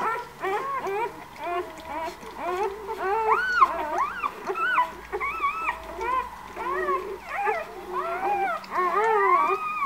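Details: Litter of White Swiss Shepherd puppies, born 11 August at a breeder's, crying together indoors: many overlapping whiny squeals and arched yelping whimpers, some drawn out and howl-like, continuous throughout.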